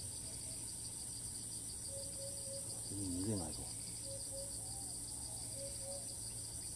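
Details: Cicada in Thailand that does not stop calling despite repeated flights, filmed far off using a monopod: steady shrill throbbing buzz, short low notes, and a brief human voice near the middle.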